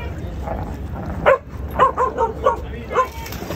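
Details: Samoyed puppy named Charlie on his first time in the pool, adjusting and acting excited, gives a run of short yipping barks, several in quick succession, over a watery background with a voice nearby.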